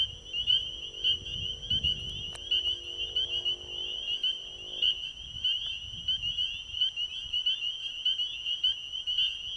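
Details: Pond chorus of spring peepers at an ecovillage at night, planets showing overhead: steady high shrill peeping throughout, overlapping callers, with a low droning hum and a brief thump during the first five seconds.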